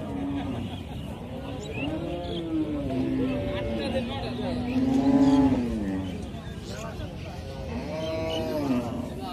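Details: Calf giving a string of long, nasal, wavering moos that swell louder around the middle, over steady low rumbling background noise.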